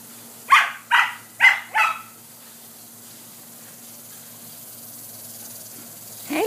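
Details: Border Collie puppies playing in sprinklers give four sharp, high barks in quick succession over about a second and a half, then quiet follows with a faint hum and a brief sound at the end.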